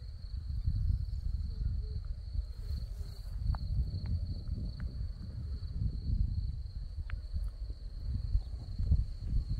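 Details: In Crimea, crickets sing from a field of red poppies: one thin, high, continuous trill holds level throughout, with deep wind buffeting beneath and a few faint clicks.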